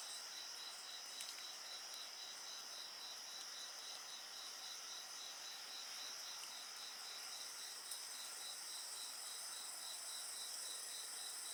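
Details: Insects singing beside a bonfire in a calm, relaxing night-time soundscape: a steady, shimmering high-pitched chorus layered with a rapid, evenly pulsed trill that never pauses, and only a faint crackle or two from the fire.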